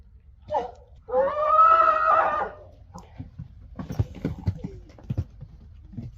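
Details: Friesian horse, annoyed by another horse, gives a short nasal note and then a strained, harmonic squeal lasting about a second and a half, followed by shuffling and knocking sounds from movement, indoors.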